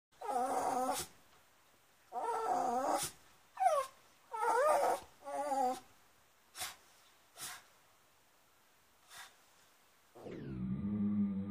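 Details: A howler monkey howls, slowed down in slow motion, giving a series of deep, growling roars, each about a second long, separated by pauses.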